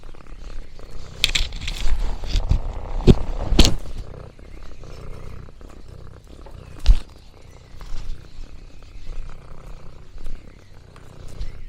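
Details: Orange tabby Lexi on a countryside farm, purring with contentment: a low continuous rumble broken by sharp clicks and crackles, likely nibbling noms and crinkling leaves, with a few louder bursts early on.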